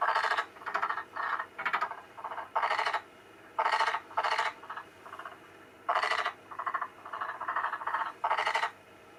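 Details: Albino black-spotted pond frog answering recorded frog calls played nearby; loud rattling croak bursts of varying length, some single, some in quick pairs, separated by brief silences.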